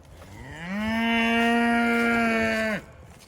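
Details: A Dexter cow in a herd waiting to be moved to fall pasture, on a breezy, cool autumn morning around 45°F, gives a long, steady moo that rises briefly, holds level, then drops off abruptly.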